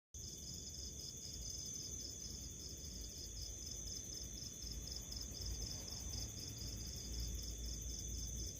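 High, bright chirps from a house cricket pulse in a steady, rapid series throughout. A constant low rumble and faint steady hum sit beneath the chirping.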